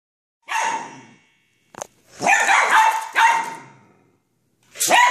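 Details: Poodle barking excitedly at a remote control car; sharp high-pitched yapping barks in short bursts, one isolated then several in quick succession after a pause.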